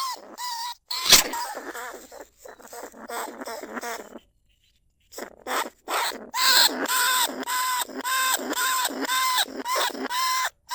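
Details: Lesser bandicoot rat, a rice-field pest, recorded live in fields at Na Lao, Nong Khu Phai, in 2569 as a lure to draw rats from burrows into traps. Harsh, nasal squeals with stacked overtones come in bursts of roughly two per second, pausing briefly midway.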